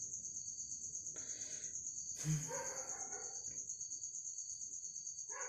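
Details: Insect caught in a bottle indoors, its piercing high-pitched buzz running unbroken underneath, with a knock or thump near the middle and Tamil speech over the top.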